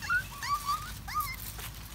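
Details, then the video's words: Happy puppy on a walk in the woods, giving a string of thin, high whines that slide up and down and waver, three separate drawn-out cries within two seconds over a low background rumble. "puppy puppy happy when walking in the woods"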